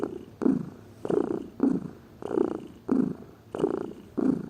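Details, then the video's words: Domestic cat, a lazy pet, purring steadily: low rumbling pulses, each breath cycle making a burst of roughly half a second, with brief quieter gaps between them. "Gato Ronronando, Som de Gato, Ronronar de gatos"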